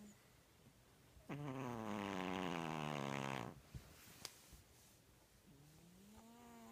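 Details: One-year-old, five-pound dog asleep after opening presents. One long, buzzy, droning snore lasts about two seconds and sags slightly in pitch. After a few soft clicks, a fainter rising drone follows.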